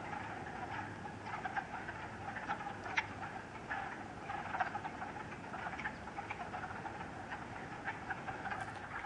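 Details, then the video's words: Wood frogs calling at a pool at West Hill Park and Dam, Uxbridge, Massachusetts, on a sunny 30 March 2013 with snow lingering in shade: a soft, steady mass of clucking, rattling croaks under low rumble. "Wood Frog Chorus ~ Lots of Wood Frogs"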